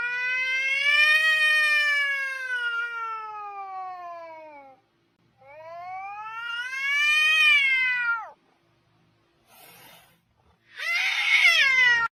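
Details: Cats in a funny compilation of playful kittens: two long, drawn-out meows of several seconds each, first slowly falling, second rising then falling, followed by a brief noisy rustle and a short harsher meow at the end.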